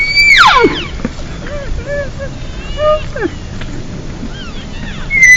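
Elk cows give lost mews, high whistled calls that slide sharply downward, with calves squealing behind.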